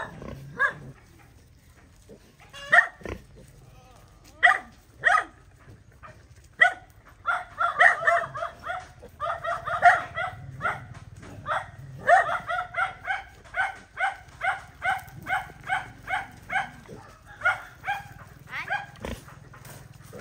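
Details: Dog defending her puppies in a fight, giving scattered sharp barks that build into a dense, rapid run of yelping barks through the second half.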